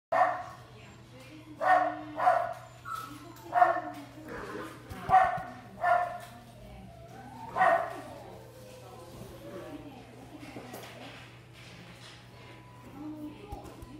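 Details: Long-coat Chihuahua at a pet shop in Nagano, Japan, giving about seven high, sharp yapping barks in the first eight seconds, then falling quiet apart from soft rustling and a low steady hum.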